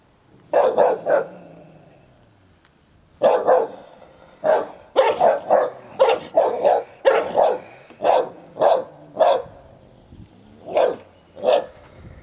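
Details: Sherlock, a ten-year-old Hovawart, guards his toy while Heini, a one-year-old American Staffordshire Terrier, roughhouses with him; sharp mid-pitched barks come in quick clusters, a brief lull near the start, then a steady run of about a dozen barks.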